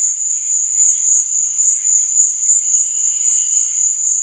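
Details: Night-time cricket chirping: one piercing high note runs unbroken, throbbing in quick regular pulses, while quieter, lower insect chirps flicker faintly in the background.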